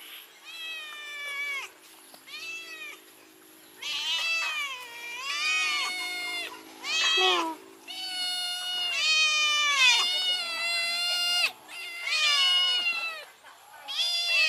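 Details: A kitten and an adult cat meow loudly after smelling fish, a run of about nine drawn-out, high harmonic mews, some rising and falling, coming in quick succession with short gaps between them.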